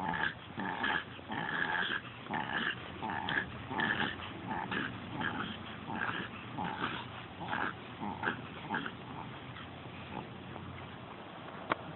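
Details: Seven-year-old Pekingese bitch on a walk, panting from over-excitement as her owner tries to slow her. Rhythmic airy puffs come about once a second or faster, fading slightly toward the end, over low background rumble.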